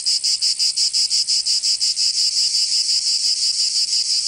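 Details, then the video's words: Provence summer cicadas, southern France: a piercing, buzzy song throbbing in fast, even pulses near three per second, later blurring into a smoother drone, with no other sounds. "Canto Cigarra 🦗 [ Escuchar les cigarras en verano 10 H]"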